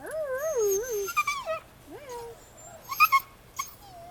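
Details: Husky puppy howling indoors, a wavering, rising-and-falling tone of about one second, followed by shorter yips and whines, with a person speaking softly nearby.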